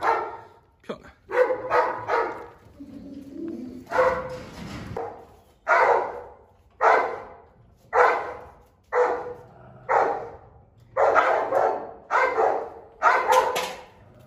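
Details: Presa Canario fiercely guarding its food: loud, harsh barks in short bursts, each about a second apart, with brief pauses between the volleys.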